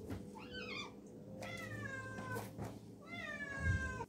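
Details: Garfield the cat, lying in a tub of water, meows three times: a short wavering first cry, then two longer, smoother meows that slide downward, with a low hum and a soft thump near the end.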